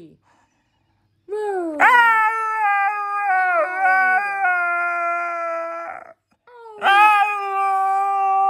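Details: Dramatic Siberian Husky letting out a long, drawn-out howl that starts with a rising scoop, then wavers and wobbles in pitch for about four seconds before breaking off. After a short pause, a second rising howl begins.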